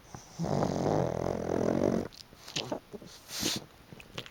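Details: A loud, buzzy snore that lasts almost two seconds comes from Chicchi the pug, asleep on a fluffy sun-dried futon. Small clicks and soft rustles follow.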